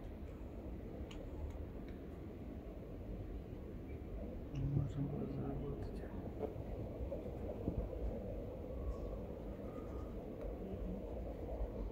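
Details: Faint whispered speech over a steady low rumble, with occasional soft clicks and no animal voice.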